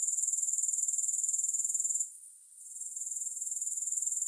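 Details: Grasshopper sound: a high, hissing trill of rapid pulses. It fades out sharply after two seconds, then slowly builds back to a steady pulsing buzz.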